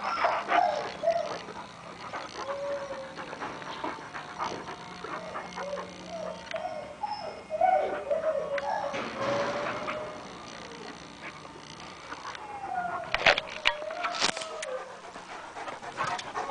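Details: Dogs at play, a Boxer with a Great Dane, giving high, wavering whines and short yips in uneven bursts, some notes sliding up and down, with rustling, scuffling and a few sharp knocks near the end.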